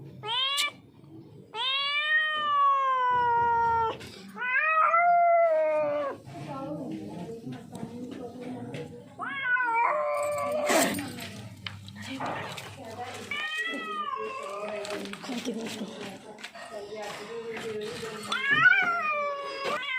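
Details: Hungry, thirsty, frightened lone street cat in distress, arrived from somewhere else, calls again and again: about a dozen loud meows and yowls, each rising then falling, some short, some drawn out, with a person's voice between them.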